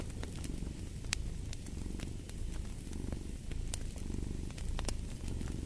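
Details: A cat's continuous low purr, pulsing with slow breath cycles, mixed with the crackle and sharp snaps of a fireplace fire.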